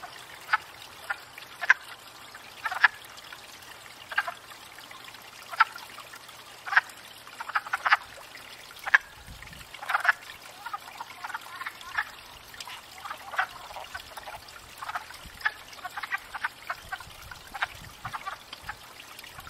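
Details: Wood frogs calling at a pond in spring after thawing out, gathered to court and breed; scattered short clucking croaks, several overlapping callers, irregular bursts with quiet gaps, faint trickling water behind.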